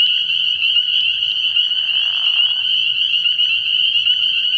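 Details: Spring peepers in full chorus at a frog pond on an early-year night: a dense, unbroken wall of high, shrill peeps, with a faint low murmur beneath and a brief soft rushing sound midway.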